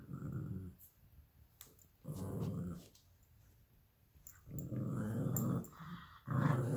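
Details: Two pet dogs, a 12-week-old Alaskan Klee Kai cross Pomeranian puppy named Luigi and a 7-year-old American Eskimo cross Chihuahua named Pooki, fighting over a toy fox indoors; low rumbling growls come in bursts, with short pauses between them.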